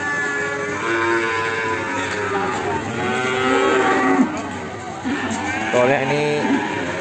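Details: Morning lowing of Limousin cattle, with a calf from Ambarketawang, Sleman, among them: a string of overlapping moos. Some are sustained, some short and wavering, mixed with voices and faint music.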